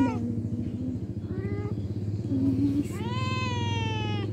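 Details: Cat meowing twice: a short rising-falling meow, then a longer, louder drawn-out meow that slowly falls in pitch, over a steady low engine-like rumble.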